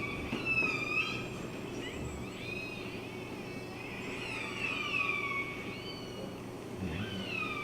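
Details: Modelled recording of killer whale calls near the entrance to Kitimat on the BC coast, along a tanker route, before ship noise masks them: squealing, sweeping calls gliding up and down over a steady low rumble.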